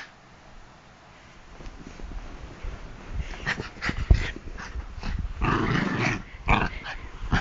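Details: Bichon Frise worked up at the thought of going to bed, attacking feet and hands; after a quiet start, low rumbling growls build into a longer rough burst amid rustling and clicks.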